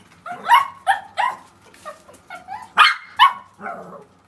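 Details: Indoor pet dog in a two-dog household calling in a rapid series of sharp, harmonic yips and barks, about two or three per second, some rising then falling, with brief gaps between bursts.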